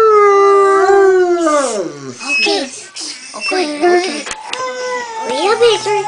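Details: Bloodhounds howling along as a three-year-old child sings Happy Birthday indoors: long, sliding, wavering howls falling in pitch, overlapping with a child's singing voice and people talking.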